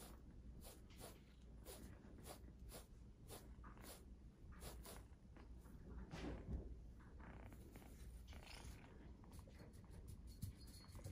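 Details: Exotic Shorthair kittens purring indoors: a soft, steady low rumble swelling and easing in regular breathing cycles of roughly half a second to a second, with faint rustling and small handling noises over the top.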